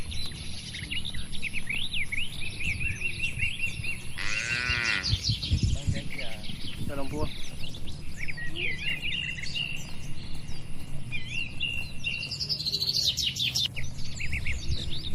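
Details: In a country oil palm plantation, a herded group of cattle gives a brief, bending moo in the middle of fifteen seconds filled with busy bird chirps and whistles and a low rumble.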